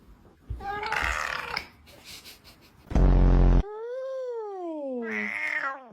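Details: A domestic cat makes a strange, long, drawn-out meow that rises, then slides down in pitch.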